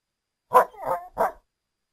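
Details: North American coyote giving three short, hoarse barks in under a second, the middle one drawn out slightly, in a quiet setting.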